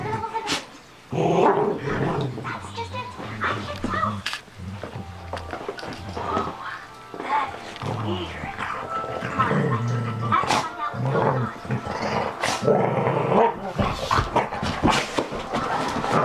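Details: Pet dogs play-fighting indoors at home, described as loving each other, after jumping on someone just home from school; low rough growls and scuffling bursts come and go beneath a loud television's music and voices and people talking nearby.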